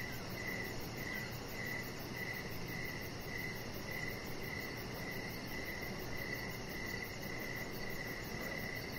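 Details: Evening cricket chorus recorded outdoors beside a resting chihuahua on a deck: even, high-pitched chirps pulsing roughly every half second, a faint shrill rhythmic layer overhead, and soft continuous rushing noise underneath.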